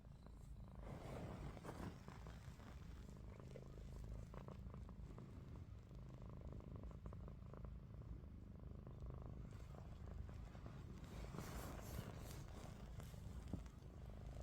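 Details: Snoring from Ruby, a domestic cat lying with eyes open; the low droning rumble holds steady throughout, joined by soft scraping and rustling sounds near the start and end.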